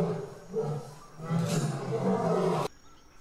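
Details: African lion producing a deep, drawn-out rumbling roar, low and throaty, swelling in loudness for about two and a half seconds before stopping abruptly.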